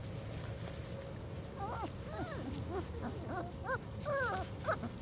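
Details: Litter of four-week-old German Shorthaired Pointer puppies on their first time outdoors, giving a burst of high, arching whines and whimpers, several voices overlapping in quick succession, over a low steady outdoor rumble.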